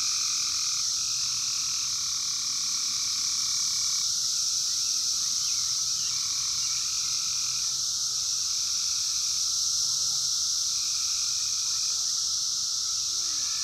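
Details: 17-year Brood X periodical cicadas in the wild during the 2021 emergence, phone-recorded: an unbroken, dense high hissing drone with a steady lower whine beneath, and brief intermittent higher tones sliding in and out.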